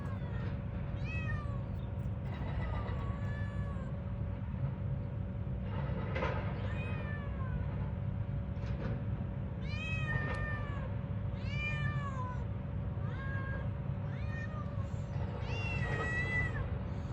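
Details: Cat gives a series of short, arching harmonic meows, roughly one every second or two, rising then falling, against constant low rumbling background noise and a steady hum.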